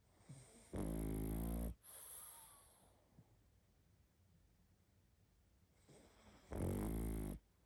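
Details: Pug dog sleeping and snoring strongly: a deep, rattling snore, a stretch of near-silent breathing, then a second equally loud, harsh snore about six seconds later.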